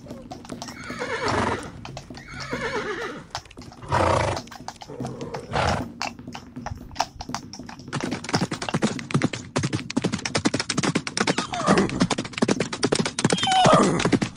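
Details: Horses fighting in the wild give harsh, wavering squeals and neighs in the first seconds, then a long stretch of rapid clattering hoof and impact sounds with further squeals.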